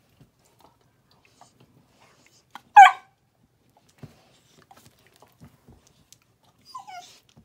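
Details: A 10-week-old Bluetick Coonhound puppy cries with a sharp, high yelp, then a softer falling whine, and an adult Black and Tan Coonhound comes to its rescue.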